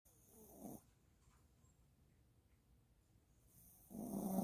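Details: Maltipoo puppy, apparently named Yulmu, asleep after a walk; a loud raspy snore opens the clip and another begins near the end, separated by quiet low breathing with a soft hiss in the room.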